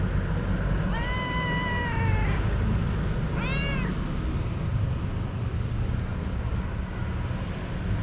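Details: Young cat playing with a moth gives a long, level, slightly falling meow lasting over a second, then a shorter arched meow, over constant low rumbling background noise.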